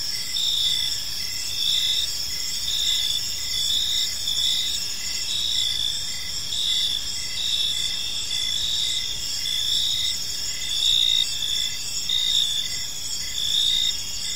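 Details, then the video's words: Evening park chorus of crickets: continuous high-pitched trilling layered in several bands, with short pulsed chirps recurring roughly once a second throughout, over soft low rumble. "Cricket Sounds in a Peaceful Park"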